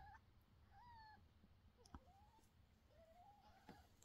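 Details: Mother cat calls after her kitten that flees and won't eat, giving soft repeated meows, some rising then dipping, others wavering and drawn out, over low background hum and a couple of small knocks.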